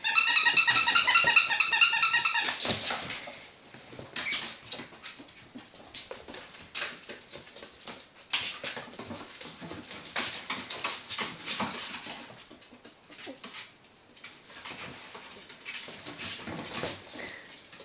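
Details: Three pet ferrets jumping about at playtime: a quick burst of high, harmonic squeaks opens the recording, then gives way to constant scuffling, tapping and rustling as the animals play indoors.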